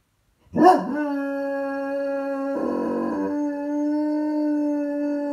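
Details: After dropping his toy, Miller gives a brief sharp yelp, then settles into a long, even, sustained howl held for several seconds at a steady pitch, briefly thickening in tone partway through.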